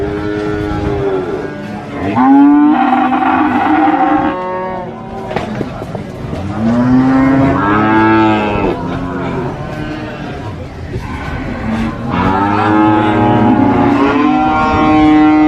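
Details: Big qurban cattle kept at a market moo repeatedly, with overlapping drawn-out lowing calls that swell and fade about every four seconds. A steady background murmur runs underneath.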